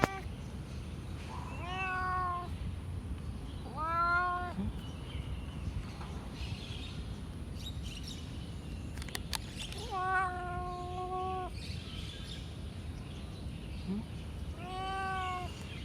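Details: Blue-eyed cat meowing four times at intervals of about two to five seconds, each meow brief and slightly rising, the third drawn out longer; steady low hum beneath.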